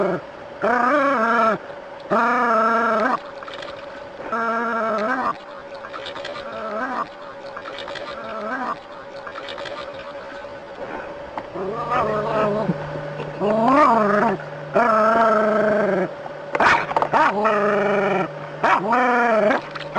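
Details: Dog in a standoff with a snake, producing bursts of wavering, yelping whine-barks, some rising sharply in pitch, in irregular clusters over twenty seconds, with a steady hum and brief rustling between calls.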